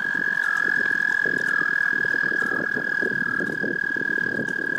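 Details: A frog's love song: a sustained, piercing, steady trill under a busy wash of low crackling and rustling noise, with faint wavering notes from other callers beneath.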